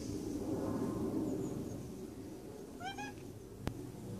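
A Maine Coon cat gives a soft drawn-out meow, then a quick chirping trill of short rising notes.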